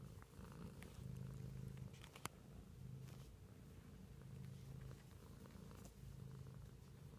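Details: Low, steady purring from a pet cat, pulsing in alternating breaths about every second and a half, with one sharp tap partway through.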